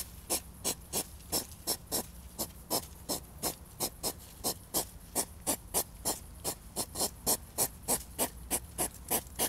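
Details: European hedgehogs fighting while mating produce a continuous chain of puffing snorts, about three a second, slightly uneven in timing, some bursts louder than others, low hum behind.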